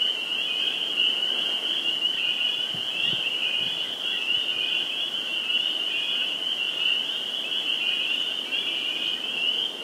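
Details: Many spring peepers calling together at a vernal pool in Sudbury, Massachusetts, on 11 April 2019. Their high, piercing peeps overlap into a constant shimmering drone, with a few faint low thumps beneath.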